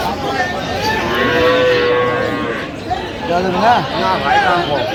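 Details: Cows with calves at Aftabganj haat, Dinajpur, on 21 January 2026. A drawn-out, even-pitched moo is followed by a few shorter, wavering lowing calls, with chatter from the crowded cattle market behind them.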